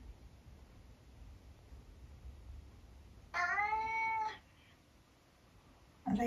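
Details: Eric, a 12-year-old UK tabby cat known for always having something to say, lets out one sustained, slightly falling meow lasting about a second, after quiet room tone, with a person's voice starting at the end.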